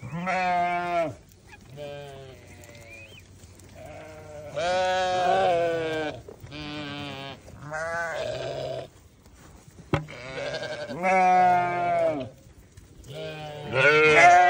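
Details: Newborn lambs calling in trembling, harmonic bleats of one to two seconds, several voices overlapping, separated by short quiet spells and a faint hum.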